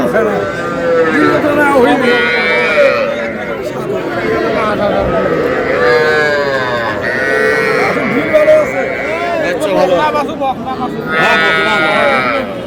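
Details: Calves, both young bulls and heifers, at a sale in Cumilla, Bangladesh, on 12 May; a string of curved, wavering moos from more than one animal sounds through constant human chatter and price haggling.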